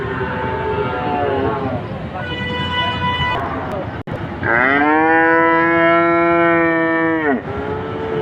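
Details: Cow mooing: a rough, breathy lowing opens, then after a brief click a loud, steady, strongly harmonic moo holds for about three seconds before dropping away.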